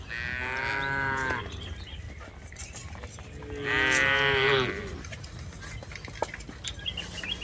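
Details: Tame cattle being herded in a rice field, lowing twice: a long moo of about a second, then a second moo after a pause of roughly two seconds, with faint rural background noise.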